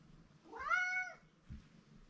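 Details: Male house cat crying for attention from someone he likes; one drawn-out, slightly rising then level meow lasting about half a second, followed by a soft low thump.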